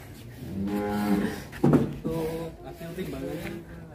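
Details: Agitated cattle being brought out of its pen lets out a moo lasting under a second, followed by a sharp thump and people talking nearby.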